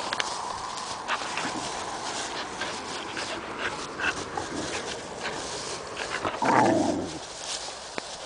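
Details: A young female puppy romps with an adult dog. Rapid, uneven huffs and panting puffs mix with rustling movement, and a louder, longer growling grumble rises briefly about six seconds in.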